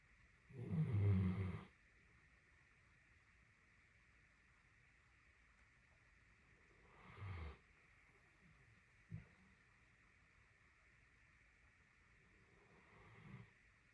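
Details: A napping female Great Dane, who snored for 30 minutes straight, snores in deep, rumbling breaths spaced several seconds apart.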